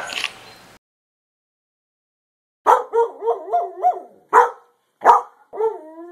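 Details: Greyhound. A Greyhound howls in a quavering run of rising and falling notes, broken into short pulses. Two abrupt yelps follow, and the sequence ends in a drawn-out, sliding whine after a brief rustle at the start.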